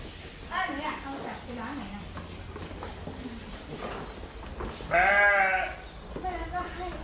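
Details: Woolly sheep giving a few short, soft bleats early on, then one loud, quavering bleat near the end, followed by a brief fainter reply against a low background hum.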